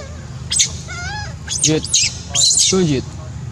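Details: Heartbreaking monkey crying: a quivering tonal whine, then two loud shrill screams, the second one long and harsh, ending in a falling wavering moan.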